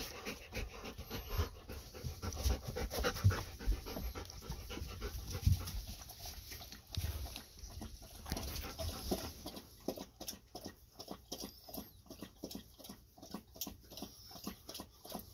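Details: Thirsty Golden Retrievers Ibuki and Kohaku after their walk: soft panting and shuffling at first, then a run of quick, rhythmic lapping clicks from the water bowl in the second half.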